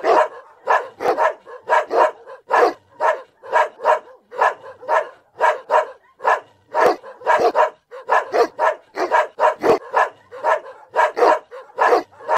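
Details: Continuous barking from Smash the Boerboel at Blessed Empire Kennel: a fast, even run of loud, rough barks, several per second, going on without pause.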